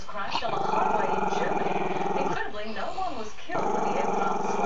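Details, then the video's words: Maltese-Shih Tzu puppy, a camera-shy male, growling at the camera: a long, continuous low rumbling growl with pulsing texture, briefly dipping in the middle before resuming. "crazy long growL"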